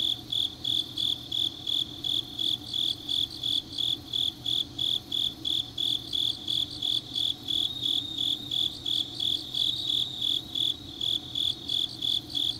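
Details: Late-night autumn grass insects in Changnyeong, South Gyeongsang: an even, unbroken sequence of shrill pulsed chirps at about three a second, backed by a soft continuous insect hum.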